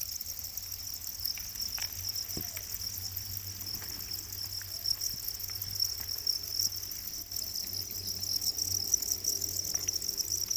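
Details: Para crickets, also called black crickets, kept as domesticated insects; a steady high shrill trill runs throughout, with faint scattered clicks and taps underneath.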